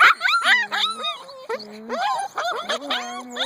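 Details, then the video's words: Two-month-old Husky puppies waking up in the morning and wanting to come out and play: overlapping high whines and yelps, some long and level, others rising and falling, in quick irregular bursts, with a man speaking to them. "Husky Morning wake up call"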